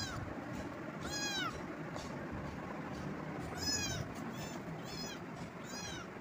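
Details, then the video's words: Repeated cat meows, six bright arched calls rich in harmonics, spaced roughly a second apart, some slightly rough, over constant low rumble and background hiss. "cat meowing"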